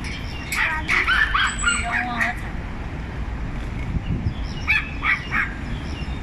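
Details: Several small dogs gang up on one big dog, barking in turns: a quick burst of sharp, high yapping barks, a quieter gap, then another short volley of yaps, over a low rumbling background.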